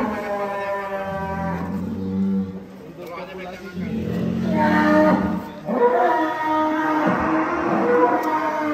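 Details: Three blue-type cattle kept on a farm, lowing in long, rich harmonic moos that overlap and repeat throughout, with a nasal, drawn-out tone; faint human voices in the background.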